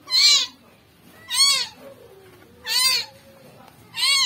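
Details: Rescued kitten, its body covered in maggots, giving loud, high arched meows in a steady series, four cries roughly every 1.3 seconds, over a quiet background.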